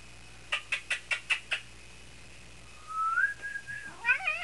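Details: Female cat in heat, indoors, giving sweet trilling noises: six quick evenly spaced chirps, then a rising drawn-out trill and wavering chirrups, with a woman talking softly nearby.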